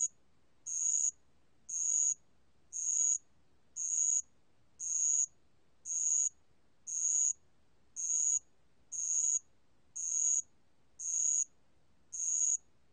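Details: Bell cricket song recorded by the National Institute of Biological Resources, Korea, 2020: clear high, pure ringing chirps, each about half a second long, repeated steadily about once a second over a silent background.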